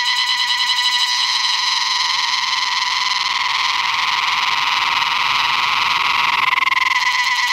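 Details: A cicada in North Bengal, West Bengal, India, sings before rains in a steady, unbroken buzzing drone with a rich, ringing tone.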